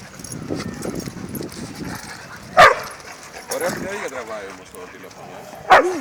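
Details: Labrador Retriever named Lara at play with her dog friends, giving two loud, abrupt barks several seconds apart amid softer whines, movement noise and a person talking in Greek.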